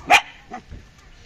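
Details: Belgian Malinois giving a single loud, sharp bark followed by a much fainter second bark half a second later, then quiet.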